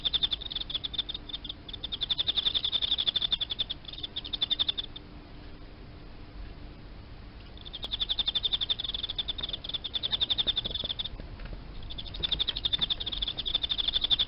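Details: Emma field cricket, captive, kept as live feeder insect, singing: long trains of fast, regular high-pitched pulsed chirps, several seconds each, separated by gaps of a few seconds; faint low hum underneath.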